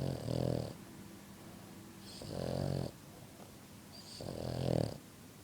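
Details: Three rough, buzzing snores from a pet French Bulldog, evenly spaced about two seconds apart, each lasting under a second, with soft breathing noise in the gaps.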